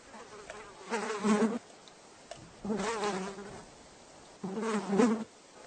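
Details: Three separate bursts of housefly buzzing, each a low wavering hum lasting under a second, with quiet gaps between them.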